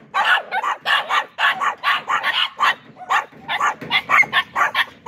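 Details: Dogs barking in a fast, continuous string of sharp, harsh barks, roughly two per second, overlapping and uneven in rhythm, with no pauses and no other sounds.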